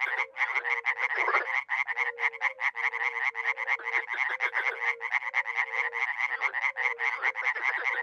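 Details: Dozens of frogs croak at a small pond in northeast Romania (Miroslovesti) in spring, forming a dense rasping cacophony of quick pulsed calls, with brief low tonal notes dotted throughout.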